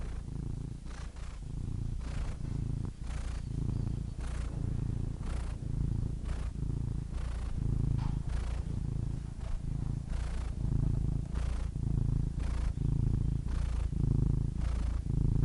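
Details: Domestic cat purrs without pause, a thick low drone pulsing with alternating in and out breaths, soft breathy swells repeating every second or so over fifteen seconds.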